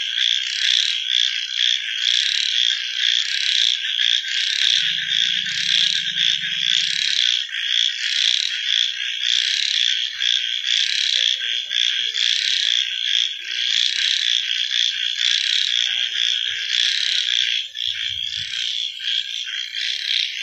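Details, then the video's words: Frog chorus recorded at night: loud, high-pitched and throbbing about twice a second, with a brief low hum early on and a faint thud near the end. "Frog Night Sounds"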